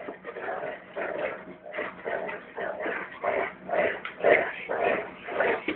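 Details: Dogo Argentino growling while playing with a rope indoors; rough, noisy rumbling growls in repeated pulses about twice a second, rising and falling in loudness, with a person's voice faintly nearby.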